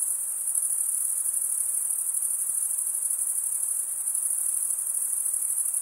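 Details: Crickets, males chirping by rubbing one wing across the toothed vein of the other; a steady, dense, very high-pitched shimmering trill runs unbroken throughout, with faint fine pulsing and no other sounds.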